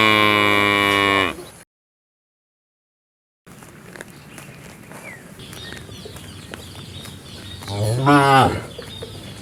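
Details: Cow ending a drawn-out moo, then a silent gap and faint outdoor noise before one short, rising-and-falling moo.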